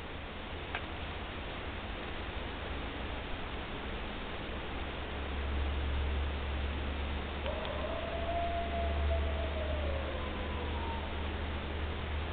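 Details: Lone coyote in the woods at night giving a drawn-out wavering call that rises then slowly falls, over steady low rumbling background noise.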